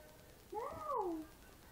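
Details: Demon, a pet cat said to be usually very talkative, gives one drawn-out meow under a second long, holding steady then sliding downward in pitch at the end, against faint quiet room noise.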